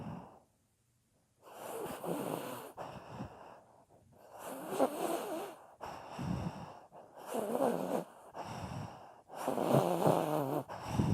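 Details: A pet dog sound asleep, snoring loudly, recorded in 2018: rough, breathy snores in long bursts of about a second, separated by short pauses, with raspy, wheezing tones through each inhale and exhale.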